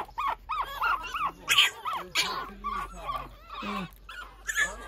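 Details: Pekingese puppy out early in the morning, scrambling about; quick yappy yelps and whines at an uneven pace, some sharp bursts mixed with drawn-out lower whimpers.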